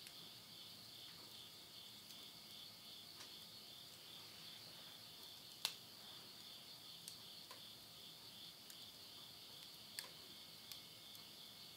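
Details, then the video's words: September 2020 midnight in rural Tottori, Japan, end of summer: insects keep up a constant shrill pulsating chorus while burning wood in a stove gives a few sharp pops and soft crackles. "the voice of insects"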